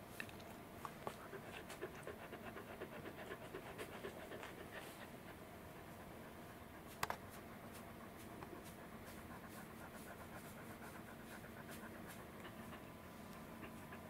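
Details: Roku, a fluffy Welsh Corgi, pants steadily while being stroked inside an air-conditioned room on 11 July 2019, looking hot despite the cooling; a continuous run of quick, even, breathy huffs with one sharp click midway.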